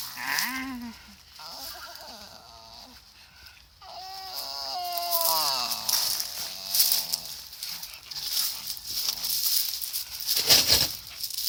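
A Staffordshire Bull Terrier makes odd, whiny, warbling vocal sounds that rise and fall in pitch.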